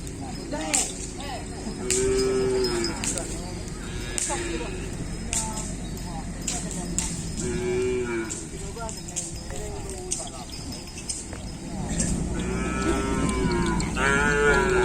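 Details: Kerapan sapi racing cattle at full training on the Asemanis field in Pamekasan, ahead of a bull race event; several harmonic moos rise out of a busy backdrop of clatter, knocks and human voices.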